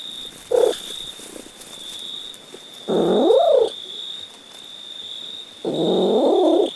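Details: Domestic cat giving a brief yelp, then a drawn-out meow that climbs and falls, and another long meow at the end; a constant thin high tone hums in the background.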